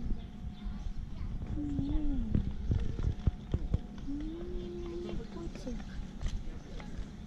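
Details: Lovely black cat outdoors in a park, wanting cuddles after its meal: two drawn-out, fairly low meows, the second longer and level, amid rustling, handling thumps and low background noise.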